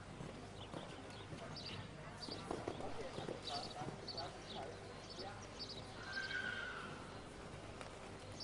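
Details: Holsteiner mare born in 2003, by Quite Capitol I out of a Contender dam, during a show jumping round: steady hoofbeats and arena chatter, with a short high whinny rising over the noise about six seconds in.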